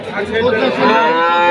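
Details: Cow at a market, pulling against its owner while its price is bargained over, giving one short, loud, nasal moo that rises slightly then holds steady, harmonic-rich, with faint crowd noise behind.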